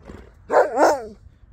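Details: Thirteen-year-old Husky on his birthday, replying to the question of what he wants for tea: a short two-part wavering 'woo-woo' vocalization, the pitch bending up and down, in a quiet indoor setting.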